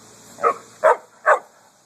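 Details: Dog barking at a truck while out walking in a cemetery in August heat; three quick, punchy barks about half a second apart over a faint steady insect buzz.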